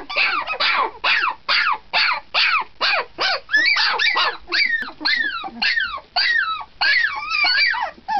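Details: Litter of 17-day-old puppies, loud enough at night to disturb sleep in the bedroom, giving short squealing whines about twice a second, each sliding up then down, the bursts growing more tangled and overlapping toward the end.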